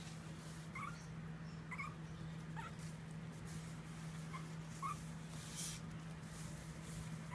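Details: Faint squeaky whines from the Pomeranian puppy Hawkeye while walking and playing, short rising notes every second or so against a steady low hum and occasional rustling.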